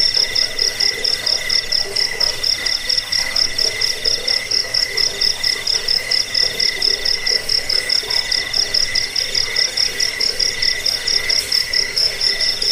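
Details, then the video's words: Dense cricket chirping, played to repel rats, aid sleep and train birds; fast, even high-pitched pulses run on without pause, layered with a second lower trill and a faint rumble. "Suara jangkik"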